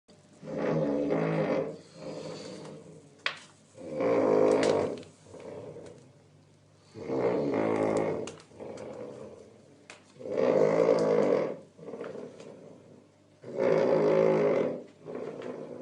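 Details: Domestic cat snoring. Rasping, rumbling snores come in regular breaths about every three seconds, each loud inhale followed by a softer, shorter exhale, with near-silent pauses between.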